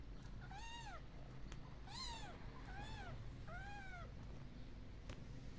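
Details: Kitten hugging its mother among a group of once-abandoned cats now living outdoors with a wooden shelter. Four soft, arched meows rise then fall at roughly one-second intervals, with a couple of faint clicks and a low background hum.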